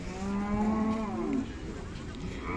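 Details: Khillar cattle at a cattle market in Sangola, Solapur district, on 28 April 2024: one steady low moo lasting over a second, falling slightly at the end, over crowd murmur.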